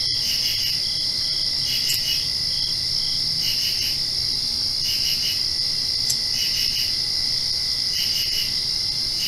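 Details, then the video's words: Night chorus of crickets right after rainfall, a continuous shrill high-pitched trill with brief pulsed chirps breaking in at irregular intervals of about one to two seconds, over a soft low hum. "Crickets Chirping"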